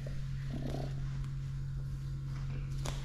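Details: Min, a cat rolling on the floor and relaxing while being massaged, purrs in a steady, low, continuous drone that lasts throughout, with faint rustling on top.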